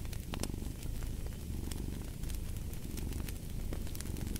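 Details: Deep rumbling purr from a cat, steady and soft, mixed with snapping and hissing crackle from a nearby fire.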